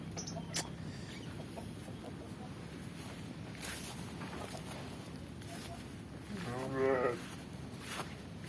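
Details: Garut sheep kept near a remote village house in Kampung Sedekan, Mekarlaksana, Sindangbarang, South Cianjur, near Karang Potong beach; a single short, wavering, quavering bleat late in the recording over steady rural hiss and faint rustling.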